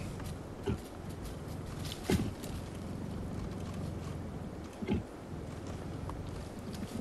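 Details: At sunset on 20 February 2016 in Sabi Sand, South Africa, a female leopard gives low, rough growls in short bursts, flirting with a male hidden in a thicket.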